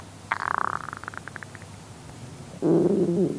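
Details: A male red panda's stomach growls with a quick fading gurgle, then a louder, wavering rumble.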